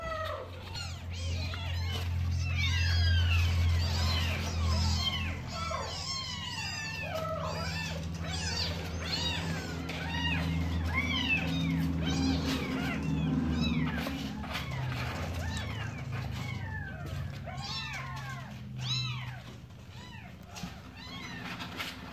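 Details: Mother cat with her kittens; dense, overlapping high arched mews, several a second and continuous throughout, over a steady low humming drone.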